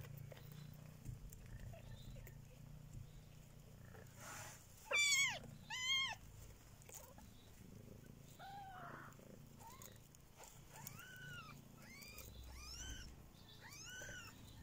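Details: Three-week-old kittens: a soft purr underneath, two loud arching high mews near five and six seconds, then a run of thin rising-falling squeaky mews repeated about once a second.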